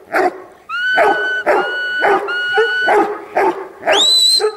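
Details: Huntaway barking in bursts of several rough barks. Drawn-out, steady whistle-like tones run between them, and a high rising squeal comes near the end.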